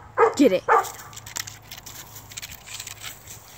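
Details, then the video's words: Dachshund on a squirrel hunt, three sharp, rapid barks bunched in the first second, then fading background noise. "Doxie squirrel hunt"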